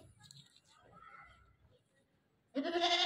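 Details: A newly acquired goat gives a loud, harsh bleat after a quiet stretch of faint background murmur; its calling reportedly won't stop.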